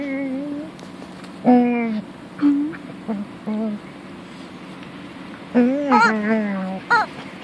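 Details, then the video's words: Punky, a female pet dog fond of her toy chicken, lets out scattered tonal whines and moans, a held one near the start and a cluster of rising, warbling cries later, over a constant low room hum. "Funny dog talking to her chicken"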